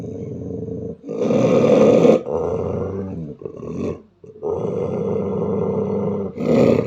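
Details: A female Belgian Malinois gives deep, rumbling growls in long rough bursts with brief pauses, growling fiercely and unprovoked at a German Shepherd calmly lying about three meters away.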